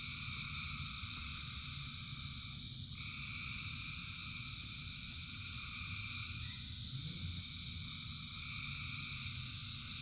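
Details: Frogs calling by the thousands during rain. A continuous droning chorus of stacked tones holds steady, with a brighter call strand entering around three seconds. Dense low patter of rainfall throughout.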